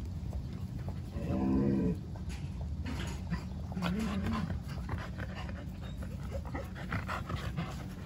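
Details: Jindo puppy Songi, newly arrived, meeting white-eyed Jindo dogs Jaewang, Dongi, Daejeong and Bori for the first time; a short, low, harmonic whine near the start, then a briefer one around four seconds, over a steady background hum.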